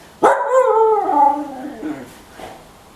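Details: Pet female husky vocalizing to ask for food: one long, wavering howl-like moan beginning with a sharp onset and gliding down in pitch, followed by faint soft sounds, while a woman coaxes her with speech.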